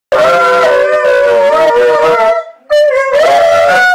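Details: A seven-month-old Alaskan Malamute howling together with an eight-year-old Husky, Chow, Wolf and Shepherd mix, the pair singing and talking back and forth: loud, sustained wavering howls with rich harmonics, a brief break, then a higher rising howl.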